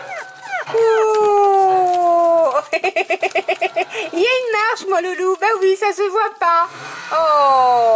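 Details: Six-week-old Staffordshire Bull Terrier puppies, including a male from a breeder's 37th litter, indoors on 8 August 2019: a long, high, slowly falling whine, then a burst of quick repeated yelps, then another drawn-out descending whine.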